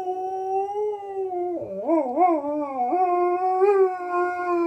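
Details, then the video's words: Alaskan Malamute cross dog howling and talking back to wolves howling on a television programme; a steady tonal howl that dips low, then wavers up and down in a yodelling warble before settling into a long sustained note. "Malamute dog talks to wolves howling"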